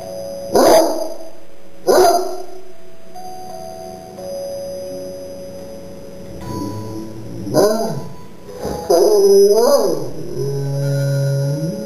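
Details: Corgi kept as a pet howls along to "Silent Night" as two ringing musical notes sound, then gives a run of wavering, rising and falling harmonic howls over the last half, with sustained music underneath.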